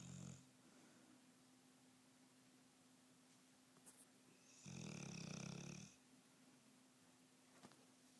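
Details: Bullmastiff dog asleep and snoring indoors; a brief snort at the start, then one long, low, rough rasping breath in the middle against a faint steady hum.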